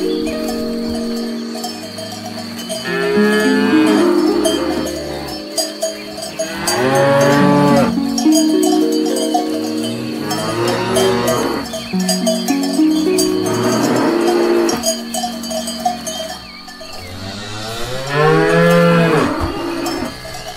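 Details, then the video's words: Several moos from cows grazing grass, each a long harmonic bellow arriving every few seconds, overlapping at times, with constant cowbell ringing and clanking throughout. "Cows Eating Grass"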